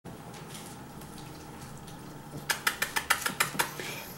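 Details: A quiet room hum gives way to a run of sharp, rapid clinks like bowls or cutlery knocking together. No animal calls stand out.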